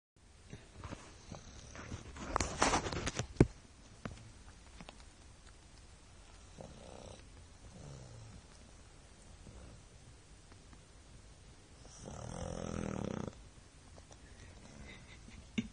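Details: A 1-year-old French Bulldog snores with soft, rough, rumbling breaths, including one long raspy snore near the end.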